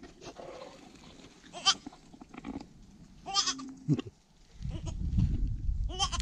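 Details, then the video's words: A young goat kid, the first born this year, bleats several times: brief, high, wavering cries scattered across the recording, with soft shuffling between them and a loud low rumbling noise toward the end. "První letošní kůzle"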